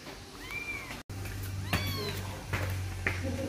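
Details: Persian cat giving short, thin meows that arch up and fall away, two brief calls over a steady low hum, with faint voices nearby.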